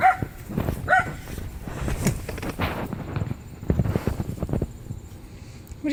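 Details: Five-week-old Rhodesian Ridgeback puppies, born August 6, 2016, playing outside in Maryland, USA; two short, high yelps at the start, then scuffling, thumps and low grunts, with a person talking nearby.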